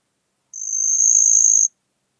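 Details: One sustained, high-pitched trill of just over a second from a marsh cricket, rising slightly in loudness before stopping cleanly, in Puntigam, Austria, 4 June 2022.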